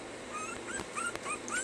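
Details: Puppies being taught to stay whimper in short, high, thin whines that rise and fall, several brief arcs over under two seconds, with faint clicks and a quiet background.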